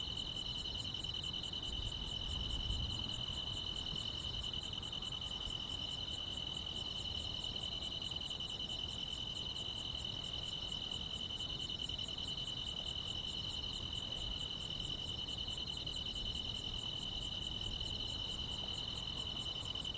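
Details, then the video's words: Summer-night grass insects keep a steady, shrill continuous trill beneath regularly spaced sharp high chirps, roughly three or four per second, over a quiet, soft background. "여름밤의 포근한 풀벌레 소리"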